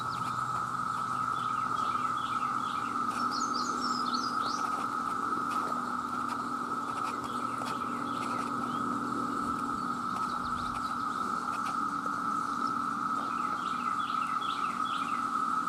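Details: Cicadas, males calling for mates, massed in their millions: a steady, unbroken mid-pitched drone holds level from start to finish, while small birds add bursts of high chirps and twitters at intervals.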